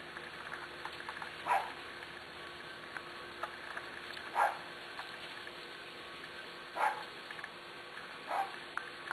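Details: Eight-week-old Corgi puppies from the litter of Zoe and Strut: four short, sharp yappy barks at irregular gaps of roughly two to three seconds, over a steady low background hum with faint clicks and shuffling.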